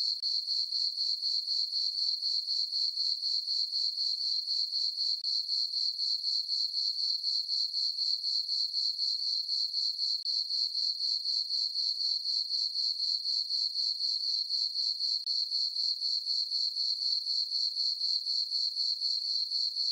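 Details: On a farm meadow on a summer night under a full moon, a cricket chirps steadily, a high, pulsing trill repeated about four times a second without pause.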